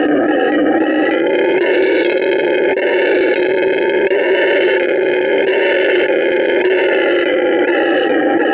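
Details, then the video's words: At La Senda Verde Animal Refuge, Bolivia, a male red howler monkey keeps up a loud, gravelly roar, unbroken and richly harmonic with gentle rhythmic swells, a show of vocal stamina. "Hear a male howler monkey roar"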